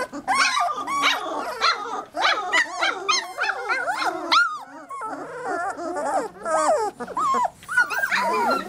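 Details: Several 3-week-old Labrador Retriever puppies make a dense cacophony of overlapping high whines, squeals and short yelps, many calls arching up and down, with a woman's soft talk in places.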